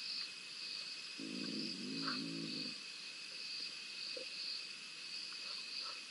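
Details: Fighting between two spotted hyenas at Rosie's Pan, caught by a live camera on 7 November 2021. A rough, layered groaning growl runs for nearly two seconds, with brief higher yips, while crickets buzz constantly in the background.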